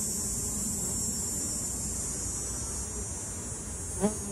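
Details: Honey bees from urban hives in Ontario, 2024: a buzzing hum with a rough low tone, a loud steady high hiss over it, and a short sharp rising buzz as one bee passes close near the end.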